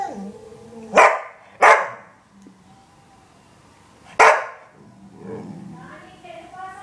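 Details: Female springer spaniel talking to her owner, giving three sharp barks in quick succession, then a softer wavering whine-like moan trailing off.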